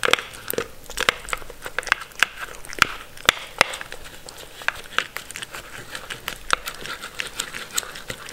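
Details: Mindy the Sheltie, a pet Shetland Sheepdog, chewing her food in a small room; sharp, crunchy bites follow in quick succession, several each second, over a quiet background.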